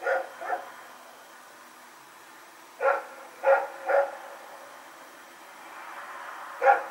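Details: A dog named Rex barks while running around in the night on September 21, 2018; two quick barks open, then a cluster of three after a pause, and a final lone bark.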